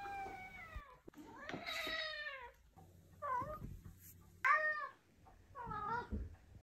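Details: Orange Maine Coon gives a run of clear, harmonic meows, some drawn out and others short and arched, compared with another ginger cat's meows.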